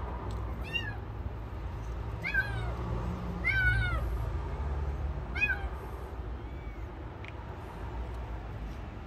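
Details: A hungry stray kitten, found by following its cries outdoors, gives thin, high meows that drop in pitch, repeated every second or two.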